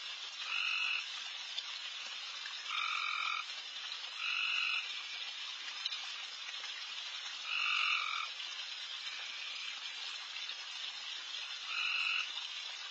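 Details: Backyard frogs at night, insanely loud during a late deer feeding, form a dense shimmering chorus with five louder buzzing trills spaced irregularly, each lasting about half a second to a second.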